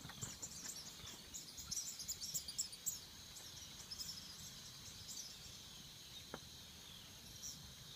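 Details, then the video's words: Swamp cicada song: a very high, pulsing rattle swells in quick rapid bursts over the first three seconds, then fades to a steady hiss-like drone, with one brief sharp click near the end. "Tranquility and the sounds of cicada in the swamps"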